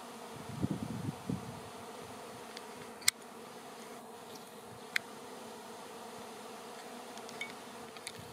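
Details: Honey bees swarming through the air ahead of settling on a branch for relocation; a burst of low buzzing opens, then a quieter steady drone continues, broken by a few sharp knocks.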